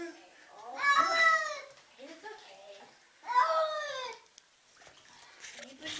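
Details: Cat protesting while being given a bath, indoors; two drawn-out, wavering meows about two seconds apart, with soft splashing and faint noises between them.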